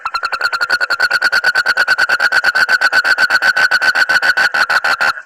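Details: Calling frog, its voice described as weird yet funny. It produces an unbroken, steady series of nasal, harmonically rich pulses, roughly nine per second, for about five seconds with no pause.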